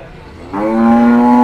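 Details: A cow at the Kliwonan cattle market in Kediri, East Java: a short, quiet lead-in, then a clear moo that starts suddenly and holds a steady, harmonic tone to the end.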